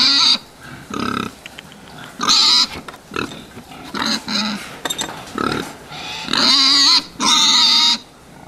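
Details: Fattening pigs giving loud, drawn-out high squeals in bursts of about half a second, mixed with lower grunts between them.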